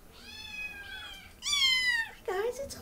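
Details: Indoor cat giving three meows, the first two long and slightly falling, the third shorter and rising, while a person speaks gently to it.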